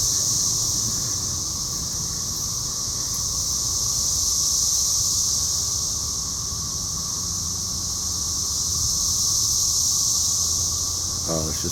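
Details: Many cicadas droning everywhere around an outdoor Rotary meeting in Cape Girardeau, Missouri, 4 June 2015, phone recording; an unbroken, shrill buzzing chorus that gently swells and fades in slow waves, over a low background rumble.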